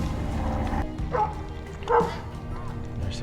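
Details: On a nature walk by the water in Stanley Park, a dog gives two short, mid-pitched barks about a second apart, set against a low outdoor rumble with faint voices and music.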